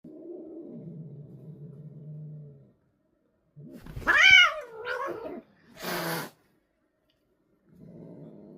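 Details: Older sister cat angry at a kitten: low, drawn-out growl, then a sharp rising yowl with a wavering tail, followed by a short harsh hiss, and another low growl at the end.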